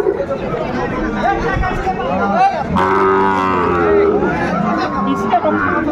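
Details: Sahiwal bull calves for sale at Aftabganj market, Dinajpur, Bangladesh, 28 January 2025. Midway a long, steady, low moo with layered overtones sounds out, surrounded by busy market talk and crowd noise.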